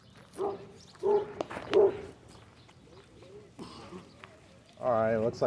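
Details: Abandoned dog, once thrown over a fence, visiting a dog park outdoors; a few short, sharp barks around the first two seconds, then human speech and voices close by.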